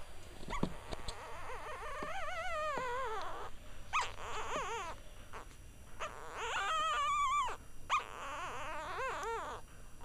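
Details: One-week-old Cavalier King Charles Spaniel puppies, a litter including tricolour and Blenheim females, whimpering: high, wavering, whiny cries with rippling pitch, several overlapping in bursts of one to two seconds with short pauses, some squeaky yips between.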